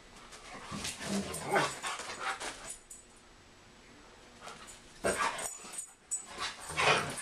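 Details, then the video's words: German Shepherd and Siberian Husky in a play fight, giving short growls and yips in two bouts separated by a quiet pause, with scuffling noise. "German Shepard vs. Siberian Husky"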